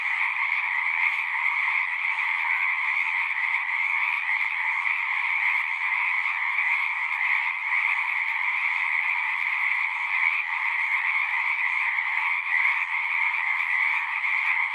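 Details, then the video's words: Frogs singing in a dense chorus at a pond in a horse pasture, recorded on a Zoom recorder; a steady, shrill wall of overlapping trills holds without pause for the whole stretch, with no other clear sounds. "Frogs singing"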